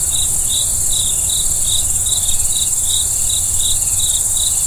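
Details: Night-time crickets keep up an even pulse of bright, high chirps, roughly two or three each second, the rhythm unbroken, with a continuous airy hiss and faint low murmur behind.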